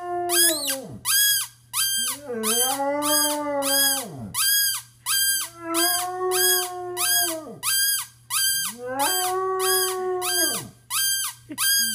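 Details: Basset hound Penny's near-howl, her first in 5.5 years: three long, level, mournful tones, each dropping steeply at the end. Steady, bright, high-pitched pulses repeat quickly behind her.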